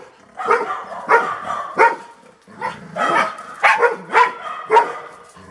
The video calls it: Toby' Random Clip - Sound of Golden Retriever Barking.